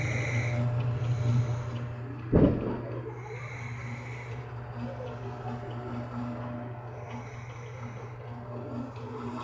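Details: Pet cat snoring as it sleeps inside a shirt beside its fur brother: a steady low rumbling breath sound, repeated roughly once a second, with one sharp knock partway through.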